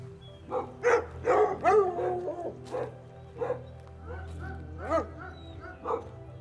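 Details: Dog giving a handful of spaced barks, one stretched into a short whining, wavering tone near the middle, with a faint steady low hum beneath.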